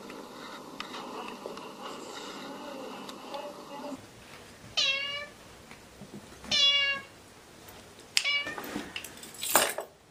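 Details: Cats playing and fighting; three short high meows come between a person's Malayalam speech asking whether fish is wanted, with indoor background noise and handling sounds.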